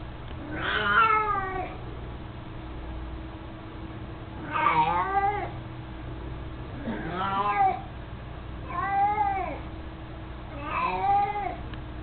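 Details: Mico, an 18-year-old, mostly blind, chubby male cat that loves carrying his toy mouse, meows five times, roughly every two seconds. Each call is a harmonic-rich, arching mew, some slightly wavering.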